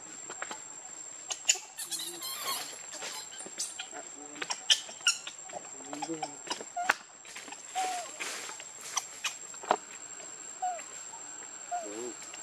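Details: Baby monkey RainBoww begging its mother for milk: short, thin whining cries that bend up and down, repeated several times late in the sequence, with lower wavering sounds earlier, among sharp clicks, taps and rustling.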